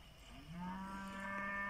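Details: Pinzgauer cattle in South Africa heading to summer pasture on a rainy morning; a loud, steady, low moo that swells in after a soft start and holds an even pitch with rich overtones.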